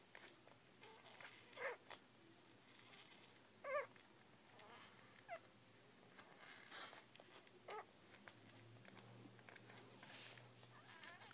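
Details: Newborn Bull Pei puppies giving short high squeaks every couple of seconds, each a brief rising whine with faint overtones, over a quiet room hiss with soft rustling between calls.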